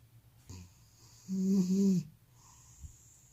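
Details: Elderly cat snoring with sleep apnea: one loud, drawn-out wheezing snore about three-quarters of a second long, low and buzzy with a faint higher overtone, preceded by a short snort and followed by quiet breathing in a small room.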